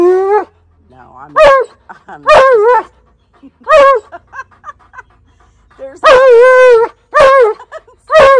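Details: Tonka, an Alaskan Malamute, yelling and demanding at his owner: loud, drawn-out wavering howl-like yowls with rich harmonics, rising and falling in pitch, several bursts over eight seconds with short barks between.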